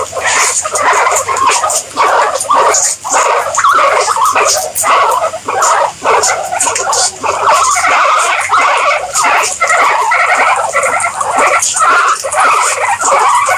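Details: Several guinea pigs keep up a continuous chorus of shrill, wheeking squeals, short pitched notes piling on one another at a brisk, irregular pace throughout.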